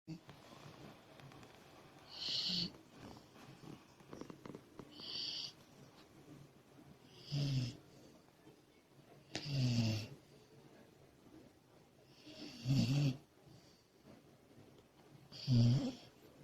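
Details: Komachi, a female Labrador Retriever puppy, snores while asleep: rough, throaty snores with a hissy upper edge, about every two and a half seconds, quieter rumbling breaths between them.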